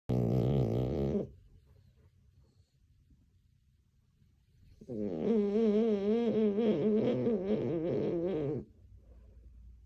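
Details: French Bulldog named Leia snoring while dreaming indoors: a short harmonic snore at the start, a pause of quiet breathing, then a long, wavering, nasal, buzzy snore lasting about three and a half seconds.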